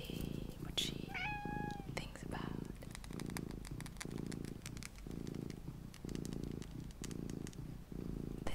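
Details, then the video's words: A small cat named Luna gives a brief rising mew near the start, then settles into a low rhythmic purr that swells and fades with each breath, roughly once a second, with faint clicks and whispering in the background. "my purring MINI Cat Luna"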